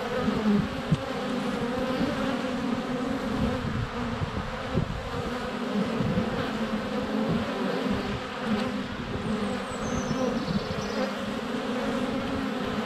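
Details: Close-up recording at a honey bee hive entrance in sunny February weather on a GoPro Hero 7 Black: constant low buzzing of numerous flying bees, fluctuating passes near the lens, and a faint high bird note midway.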